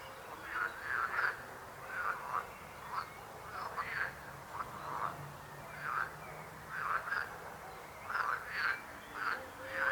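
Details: Frogs croak in clustered bursts of rapid, rasping pulses, several calls overlapping in groups every second or two over a quiet background.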